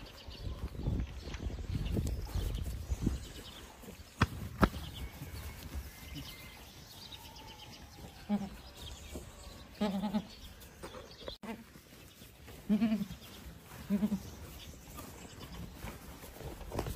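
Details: Boer goats on a farm; four or five short, wavering bleats in the second half, with human voices, low rumbling noise and sharp knocks throughout.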